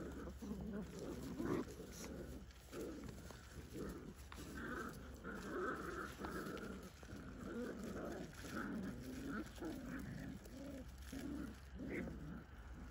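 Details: Whippet puppies four to six weeks old playing as a pack in the evening around seven o'clock, giving a busy run of low grunting growls and squeaky whimpers that overlap continuously, with faint background hum.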